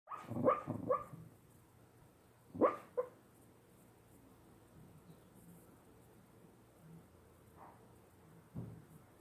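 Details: A Cocker Spaniel napping with a slipper and dreaming gives soft, muffled woofs in short clusters, then fainter single huffs, as if warding off intruders in his sleep.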